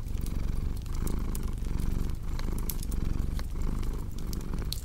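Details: Low, throbbing purr of a house cat, its rhythm rising and falling with each breath, with sharp fireplace crackles and pops scattered throughout.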